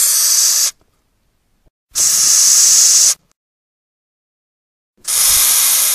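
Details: Hissing from a Madagascar hissing cockroach (Gromphadorhina portentosa), a captive-bred insect: three strong, steady, noisy bursts over a second long each, spaced about three seconds apart, in an otherwise quiet room.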